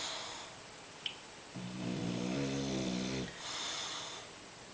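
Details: Zeuz, a bulldog, snoring in the kitchen: a single drawn-out snore of under two seconds, low and buzzy with stacked harmonics and a faint wheeze, between softer breathing, in a small indoor room.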